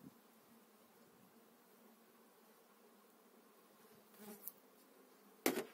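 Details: Honey bees in a hive being transferred during spring 2018 keep up a faint, even hum. Wooden frames clatter briefly past four seconds, and a loud knock comes near the end.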